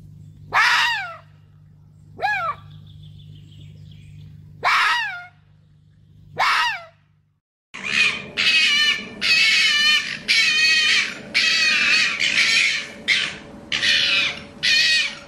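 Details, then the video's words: Red fox giving sharp, downward-sweeping yelps spaced a couple of seconds apart over a steady low hum. A rapid run of harsh, raspy calls follows, repeated about once a second. "Fox ( Vulpes vulpes ) calls."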